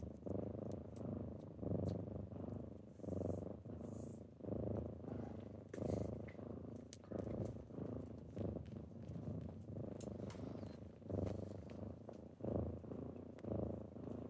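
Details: Morning purring from kittens waking their owner up: a continuous low, throaty rumble pulsing with each breath about every second and a half, with light rustling and soft taps overhead.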